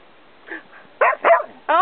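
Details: Young Australian Cattle Dog learning to speak on command, coaxed by its owner: a soft grunt, then three short, loud, harmonic yowling barks bunched in the last second, after praise of "good boy".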